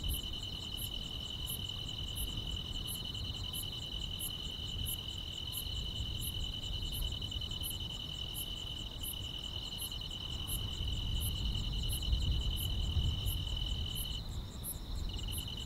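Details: Grass insects chirping through a quiet countryside summer night: rapid high pulsed chirps repeat steadily over a continuous shrill trill that briefly drops in pitch near the end, with stronger low rumbling background noise.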